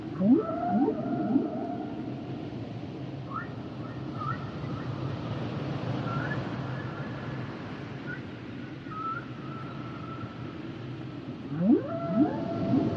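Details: Humpback whale song with rising upsweeps grouped in threes at the start and end, separated by long thin tonal whistles held through the middle, all over constant low underwater rumble.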